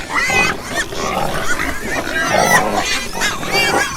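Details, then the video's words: Pigs, several animals, giving overlapping grunts and short squeals in a dense, continuous chorus, with harsh noisy bursts and some higher whining tones throughout. "Ouça o som dos porcos - Porco - porco roncando - som do porco"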